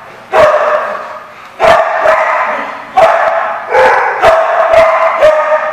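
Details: Dogs recorded on 8/24/15 giving loud, harsh, irregular barks, roughly eight in under six seconds, some in quick doubles, with a sustained mid-pitched tonal layer between them.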